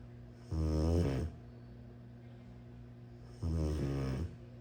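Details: A sleeping Rottweiler, possibly a puppy, snores in low, rattling rumbles: two breaths about three seconds apart, each swelling and fading as a coarse, throaty drone over a steady hum.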